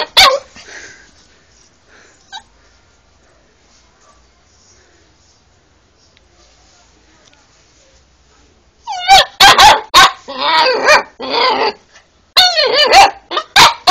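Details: Alaskan Malamute dog. A short sound near the start, then long near-silence, then a burst of high, wavering yowls and yips. The calls bend up and down in quick, uneven succession over the final five seconds.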